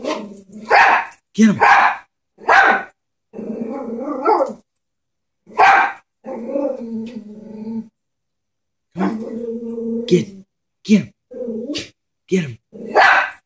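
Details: Chihuahua scared of a stuffed toy horse, letting out sharp bursts of barking between long, low, rumbling growls, with pauses of silence between outbursts.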